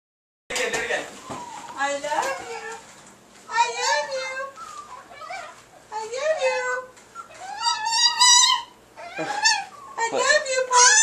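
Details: Paco, a pet Chihuahua kept indoors, makes human-like moaning that imitates "I love you": harmonic, wavering phrases rising then dipping, repeated in bursts, mixed with people's voices in a small room.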